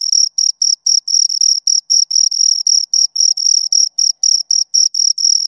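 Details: Close, loud chirping from two crickets: shrill, tonal bursts of stridulation, about four a second with brief gaps, very steady pitch and a weaker overtone above; no other sounds.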